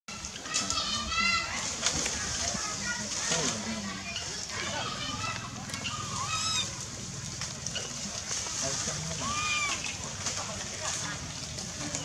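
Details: Baby monkey Lizza, wild in forest in the Angkor Park area, crying to call its mother: a series of short, arched, harmonic wails, rising then falling, several in quick succession, over steady rustling, splashing and distant voices.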